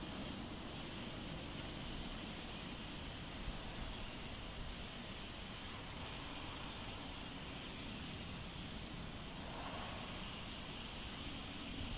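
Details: Steady broadband rushing noise like wind or distant traffic, with no clear animal calls.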